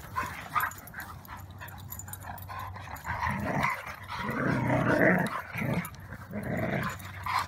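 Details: Siberian Huskies Maya and Pearson roughhousing in the yard after their morning walk; throaty play growls swell in loud bursts around the middle, mixed with brief yips and a steady low hum.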